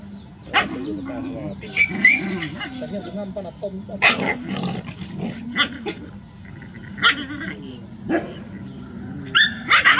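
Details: Rural street dogs in a big group in a village, barking loudly in scattered sharp bursts, some high yelps, with human speech mixed in.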